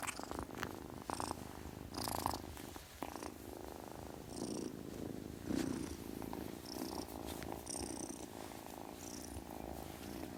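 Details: A kitten's continuous purr, a fast buzzing rumble that rises and falls with each breath, with occasional short hissy bursts and light rustling noises over about ten seconds.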